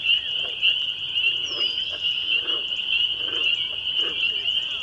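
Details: Massed spring peepers in a May 2021 evening chorus at Laurel Creek Conservation Area, Waterloo, Ontario, Canada, form an unbroken shrill high peeping wall, with faint softer mid-pitched chirps pulsing underneath about once a second.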